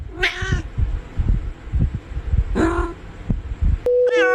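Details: Domestic cats in a pet compilation, meowing: three short harmonic meows spaced about two seconds apart, the last ending beside a steady electronic beep, over low thumping background noise.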